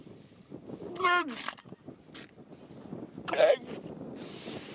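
A seal gives short, voice-like moaning calls with falling tones, over wind and background noise.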